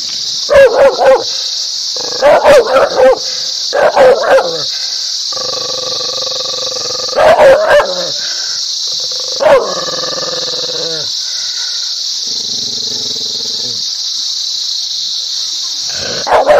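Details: A dog barking in loud bursts of two or three sharp barks, separated by pauses, with some lower whining tones between, over a constant high steady hiss throughout.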